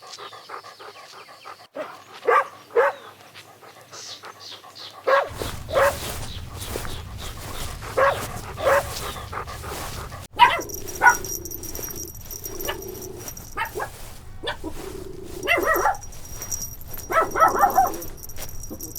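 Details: Little puppies having fun outdoors in nature: short breathy pant bursts repeated roughly every second, then thin high whines and yips near the end over a constant background tone.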